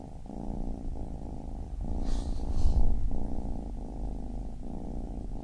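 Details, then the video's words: Baby kitten purring steadily, a deep low rumble that pulses in breathing cycles, with a soft break roughly every 0.7 to 0.9 seconds and a brief faint hiss midway. "Baby Kitten Purring"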